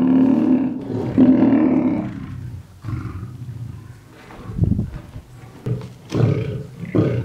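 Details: Lions feeding at Mount Etjo Safari Lodge in Namibia, roaming free and fighting for the better part of the meat; rough, low growling and snarling bursts overlapping irregularly, with louder surges near the end.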